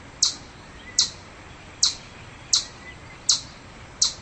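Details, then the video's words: Six loud, piercing chipmunk chips, each a sudden sharp click, spaced roughly three-quarters of a second apart against a quiet background. "Chipmunk Sound Effects - Crazy Chipmunks Making Chirping Sounds!"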